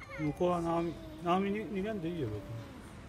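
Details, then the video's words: Male cats Siamlock and Naomi quarrelling at close range on a February 2018 late afternoon, while the red kitten Anne hides nearby. Low, moaning, wavering yowls rise and fall in pitch, broken into short bursts, with loud swells between quieter stretches. "Kitty Anne hiding behind a powerful quarrel 喧嘩を後ろから覗く赤毛の子猫"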